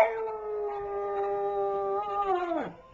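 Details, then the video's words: Pug "talking" in a funny compilation: one long, steady, tonal howl held for about two and a half seconds, then a quick downward slide as it trails off into quiet. "AMAZING PUG TALKS"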